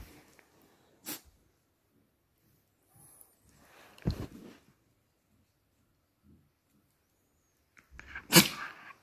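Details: Patterdale Terrier, ten months old, sneezing indoors: three short, explosive broadband bursts spaced a few seconds apart, the middle and last strongest, with quiet room tone in between.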